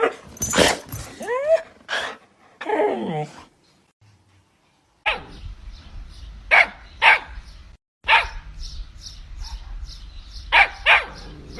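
A Siberian Husky yips and whines in bending, yodel-like tones, then gives a run of sharp barks.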